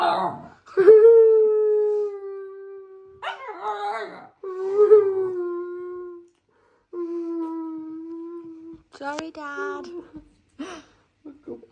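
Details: Siberian Husky puppy indoors, after biting its owner, giving long drawn howling whines held steady near one pitch for a few seconds each, with breaks between, mixed with people's cooing voices and background music.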